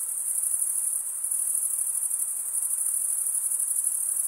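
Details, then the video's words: Male crickets stridulating, rubbing one wing across the toothed vein of the other: a dense, unbroken high-pitched trill holding steady throughout, with faint rapid pulsing and no other sounds. "Most relaxing cricket sound for 8 hours"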